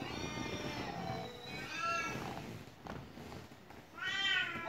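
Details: Cat at home meowing over a steady low rumble: several muffled, drawn meows early on, a few soft thumps, then a brighter, rising meow near the end.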